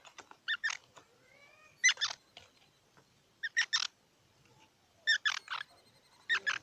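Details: Squirrel calling in sharp, squeaky chirps bunched in twos and threes, with the bursts coming about every one and a half seconds and a thin rising whine between them.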